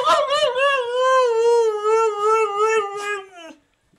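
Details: Female dog 'talking' indoors as her owner asks whether she wants a walk and to go outside: a long, sustained, tonal howl with rich overtones, slightly wavering, holding steady before tailing off after about three and a half seconds.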